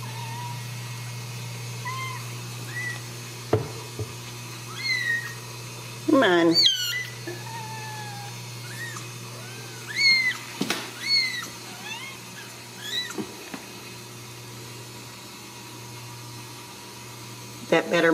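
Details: Ragdoll kittens near their mother at a home cattery in central Kansas give scattered high mews between bouts of rustling and handling noise, then fall quiet before one last cry.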